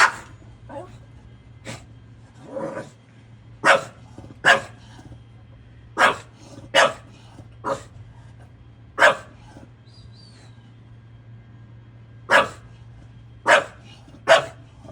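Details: English Bulldog barking at a garbage truck; single sharp barks spaced irregularly, about one every one to two seconds, over a low steady engine hum.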